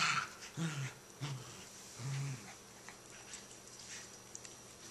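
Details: Low rumbling growls, three short bursts in the first two seconds, from a puppy wrestling over a toy between Lucy and Toby, followed by quieter scuffling and soft clicks indoors.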